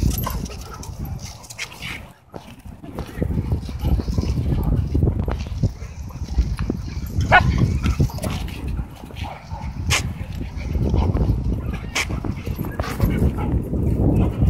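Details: Two German Shepherds and a German Shorthaired Pointer named Bodhi playing together at a dog park; short rough barks and scuffling growls burst out over steady low rumbling wind noise.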